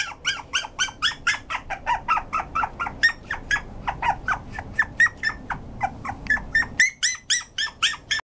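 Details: Toy poodle whimpering in a series of high, squeaky yelps about two per second, each a short falling or rising whine with bright overtones, varying in pitch, with faint indoor room noise behind.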